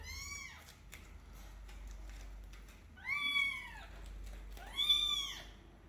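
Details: Kittens kept in a cage in a cat room during cleaning: three loud, high, arched meows, one near the start, then two close together around three and five seconds, each sliding up then down, with quiet room noise between.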